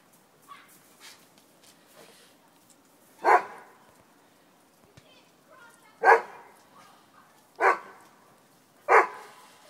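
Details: Rudy, a Doberman, and Tally, a Miniature Pinscher, playing in snow; four loud, sharp barks spaced irregularly over the second half, preceded by soft scattered yips and rustling.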